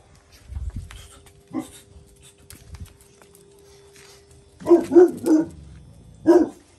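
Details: Jack Russell Terrier Paris teaching her son Oscar a lesson; soft scattered noises and a steady low hum, then a quick run of three sharp barks and a single bark after a pause.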